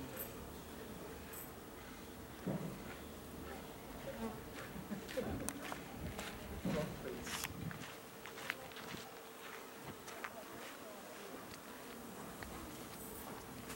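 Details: Honey bees at hives in a garden in Aarhus, Denmark, on 6 September 2014; a steady, even droning hum runs throughout, with scattered clicks, rustles and a few soft bumps nearby.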